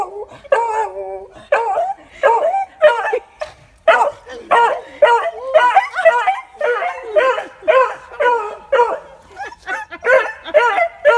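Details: Beagle howling as it reunites with its owner after a year and a half apart: a rapid run of loud, tonal, wavering yelps and howls, roughly two per second, rising and falling in pitch with short gaps between them.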